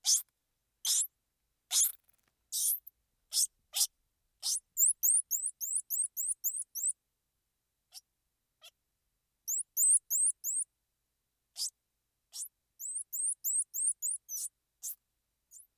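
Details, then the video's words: Squirrel monkey noises: a string of sharp, hissing bursts at first, then long rapid trains of tiny high-pitched chirps, each rising and bending, broken by brief clicks; quiet background throughout. "Squirrel Monkey Sound"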